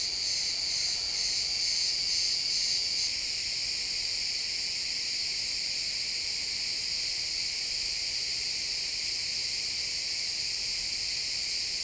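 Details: Crickets in a pine forest at sunset, a loud pulsing chirp stands out for the first three seconds, then the steady high trilling chorus continues evenly.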